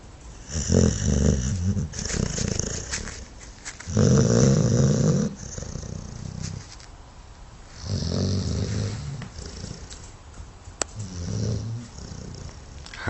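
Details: Dog asleep and snoring steadily, deep rasping snores coming in slow waves every few seconds with a fluttering, purring texture, each one swelling and trailing off.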